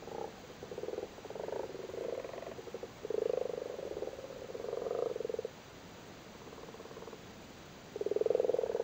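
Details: Spawning frogs crowd a flooded cattle grid in Cork, Ireland, males sitting on spawn. Overlapping low purring croaks come in irregular pulsed bursts for several seconds, pausing briefly before a loud final grumble.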